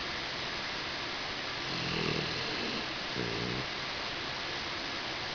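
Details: Asleep against a swivel chair leg, four-month-old Husky Tobias gives two short nasal snores about a second apart, each a low buzzing rasp with layered tones, set against constant background hiss in a small room.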